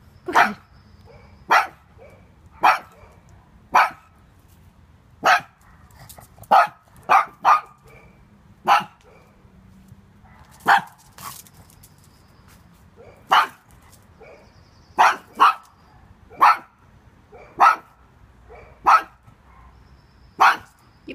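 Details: A small pug barking at intruders, sharp barks repeated about every one to two seconds, some in quick doubles, with quiet speech in the background.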